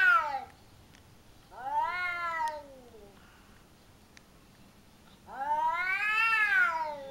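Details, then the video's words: Domestic cats in a verbal fight in a home garden in Japan, the family's cat gaining the upper hand over a smaller rival: two long, harmonic, wavering yowls, rising then falling, separated by a quiet pause. "【相手変わって猫のくち喧嘩！】 Cat fight"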